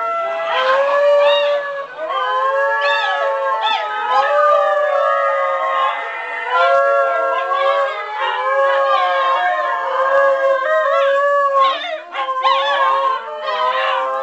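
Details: A Basenji gives long, wavering, yodel-like howls in a duet with a family singing the Star Spangled Banner, several tones overlapping throughout.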